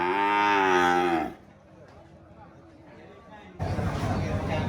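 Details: A cow gives a strong harmonic moo for over a second, pitch rising slightly then dropping, followed by a quiet gap and a burst of broad, rough lowing near the end.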